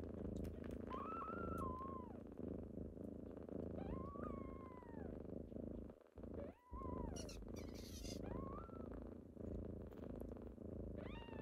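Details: A kitten morning wake-up: continuous heavy purring with repeated thin, wavering meows rising and dipping, a brief pause in the purr midway and a burst of rustling.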